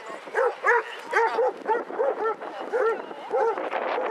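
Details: Pack walk of 22 Basset Hounds around Hazlehead Park, Aberdeen, on 2 February 2014. Rapid overlapping barks and bays, roughly two or three per second, ring out from several hounds, with murmured voices underneath.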